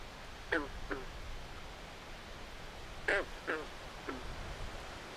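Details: Swamp frog at night giving paired hoarse, nasal croaks about every two and a half seconds, with fainter single notes between them and a noisy, rumbling ambient background.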